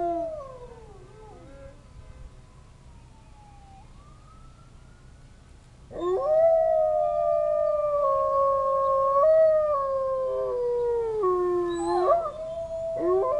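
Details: Zoo wolves howling in response to distant sirens; a faint gliding tone fades, then from about six seconds several long, sustained howls overlap in a chorus, wavering and held, with a brief rise near the end.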